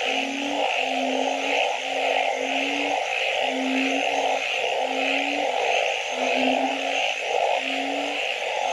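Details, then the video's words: Several frogs at night: evenly spaced low, slightly rising hoots about once a second, layered over a constant droning chorus of higher trilling callers. "Nighttime Frog Symphony"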